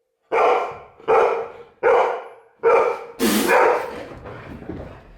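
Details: Golden retriever barking in reaction to a sneeze: four loud, deep barks about three quarters of a second apart, then a harsh hissing burst followed by fading, rougher barking sounds.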